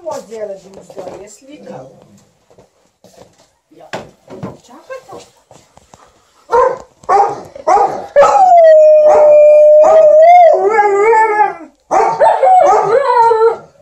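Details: Alaskan Malamute and Golden Retriever indoors, vocalizing while their owner irons; soft grumbles and short yips build into a long steady howl with a wavering, rising end, then more drawn-out woo-woo howls.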